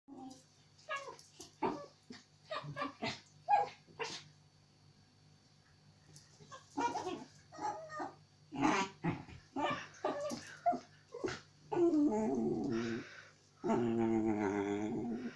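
A puppy makes odd yips, whines and squeaky yowls in irregular bursts, ending in longer wavering howls.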